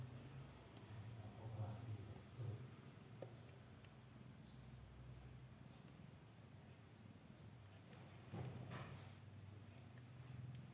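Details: Newborn kitten on its sixteenth day, a soft low purr throbbing evenly throughout, with occasional light taps and rustling noises.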